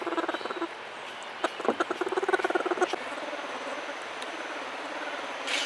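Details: Orphaned bear cub humming while treating a human as its mother: a low throaty series of short pulses, about ten per second, in bursts broken by brief pauses and quick breaths.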